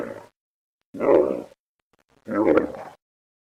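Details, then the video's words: Camel snoring: deep, rough rumbling grunts in bursts about one second long, separated by silent pauses, with a low broad throaty texture. "Sonido del Camello /Ronquido del Camello// Camel Sound /Camel Snoring"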